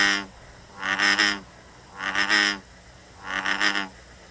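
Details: American Bullfrog calling, three deep, throaty, harmonic notes about half a second long, spaced roughly a second apart, slightly rough and buzzy, with a faint room hum underneath.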